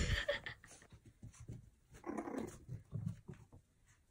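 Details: A naughty, playful Pomeranian puppy indoors gives low, rough growling bursts broken by short breathy, panting-like sounds, quiet and uneven, with a louder grumbling stretch near the middle.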